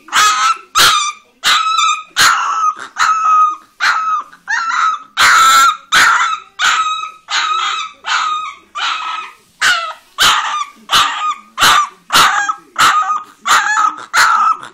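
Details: Leonberger pup, an orange female, barking steadily in a fast run of sharp, high yaps, some drawn out into whiny yelps, with no gaps longer than a breath across the whole stretch.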